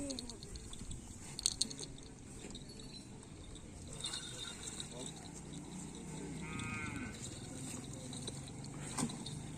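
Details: Cattle at karapan sapi bull-race training on a field in Asemanis; one drawn-out harmonic moo late in the clip, over steady outdoor crowd chatter and background noise.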